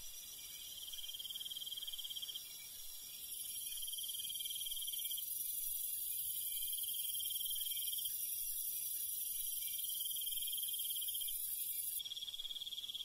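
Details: Night insects of rural fields, crickets among them, sing long rapid pulsed trills with short breaks, backed by a steady high-pitched whine from other insects.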